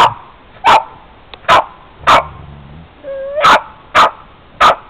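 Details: Boston terrier attacking the family van in icy weather, barking in a steady series of seven sharp, loud barks roughly every half second, with a brief whine between them.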